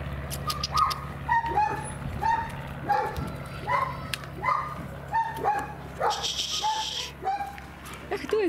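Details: German Shepherd puppies, three months old, in Odesa, Ukraine, giving a run of short high yelps and whines roughly every half second to second, with a person talking to them in the background.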